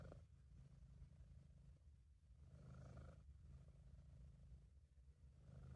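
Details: British Shorthair cat named Sabu purring, relaxed and contented, in an amateur home recording; a steady, deep rumbling purr that swells slightly with each breath, with faint brighter hiss on the exhalations.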